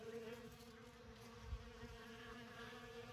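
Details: Honey bees at an open winter feeding tote in December, taking honey and comb in a sunny spot; a steady low droning hum with layered tones, continuous throughout.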